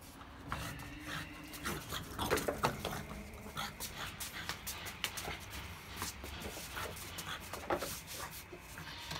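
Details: A young French Bulldog playing pants and snorts in quick, irregular bursts of breathy noise.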